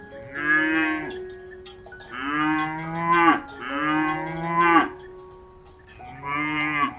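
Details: Cattle lowing in drawn-out moos of one to one and a half seconds, four in all, slightly falling at the end, accompanied by sustained chiming bell tones.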